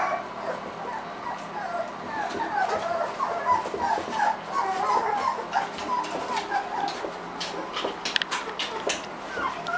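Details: Three-week-old Irish Wolfhound puppies squeal and whimper: a continuous overlapping chorus of high, thin, short squeaks and whines, several pups at once, with faint background noise throughout.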